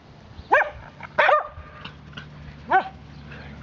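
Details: Female Swedish Vallhund puppy running wild after her first bath, giving three sharp, high yapping barks spaced about a second apart, with a faint steady hum underneath.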